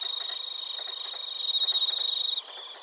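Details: Crickets, among them bell crickets, in Narita, Chiba, Japan, on a TASCAM Portacapture X8: one nearby insect gives a quick regular train of loud pulsed chirps, growing louder before stopping, above a faint high chorus.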